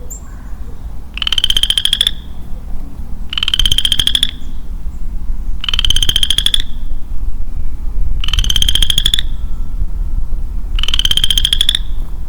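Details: Solitary male western chorus frog in early-spring woods repeats five crisp, rattling, upslurred trills at steady intervals of a little over two seconds, with a constant low-pitched hum beneath.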